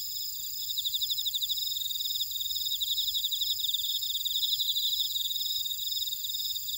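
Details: Grass insects in a Jeju buckwheat field, Ora-dong, South Korea, trilling together: rapid rhythmic pulses swell after the first second and hold steady beneath sustained piercing whines, nothing else audible.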